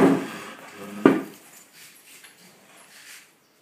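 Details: Border collie puppy playing with a Flat-coated Retriever indoors: two short, low, rough bark-growls close together at the start, then soft scuffling and faint rustle fading to quiet.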